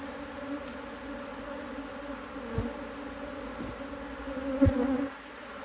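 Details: Honey bees humming in an opened Hive IQ hive in Australia, autumn 2023, as an extra box of frames goes on: an even, low, two-toned buzz throughout, broken by a few dull thuds and clicks from handling the boxes.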